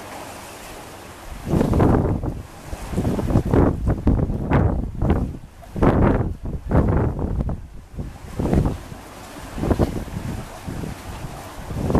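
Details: Strong wind buffeting the microphone in gusts over a coastal background, with no animal sounds.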